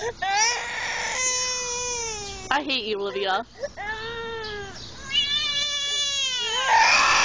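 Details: A bullfrog gives drawn-out, steady, nasal screams. One long wail is broken midway by a short wavering, lower cry, then further sustained screams follow, rising at the end.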